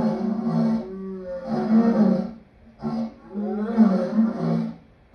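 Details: Lion voicing a string of gruff, moaning roar phrases, several drawn-out throaty bursts broken by short pauses, rough and resonant.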